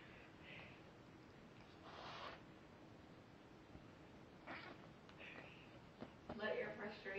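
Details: A pet cat hisses while attacking a stuffed toy cat that challenges it. Three broad, airy hisses come about two seconds apart, with faint talk in the room.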